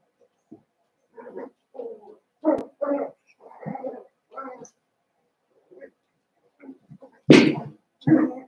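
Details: Seven-week-old Cavalier King Charles Spaniel puppies from Daisy's litter in a home puppy pen: a series of short yelps and whimpers, some in quick pairs, then a louder sharp bark near the end.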